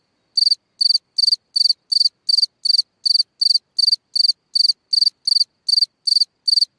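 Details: A cricket chirping at night from a burrow in the ground: a regular series of shrill, pulsed chirps, roughly three each second, high and bright, with silence between them.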